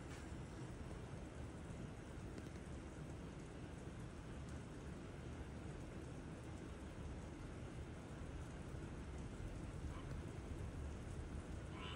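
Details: Steady rain or broadband noise, dense in the low range, with no frog or other animal call standing out.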